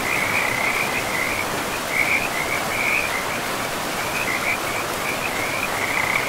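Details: Frogs by a river deep in a forest give bursts of rapid, pulsed trilling at a steady high pitch, coming in clusters over the constant broad wash of river water.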